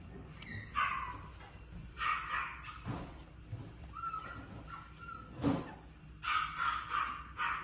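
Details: Shih Tzu giving short, high yapping barks in clusters, a brief whine-like tone near the middle, with thumps and handling noises between bursts.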